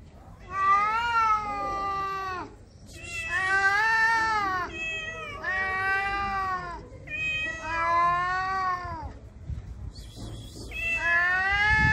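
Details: Stray cat in heat on a street in Morocco, sexually aroused, giving long drawn-out harmonic meows of about two seconds each, four calls separated by short pauses, the last one rising in pitch.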